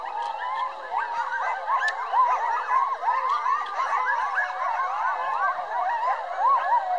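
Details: Chorus of roughly twelve coyotes in a pack, howling at once; tangled yips, quavering wails and sliding howls overlap in a steady, unbroken mass of voices.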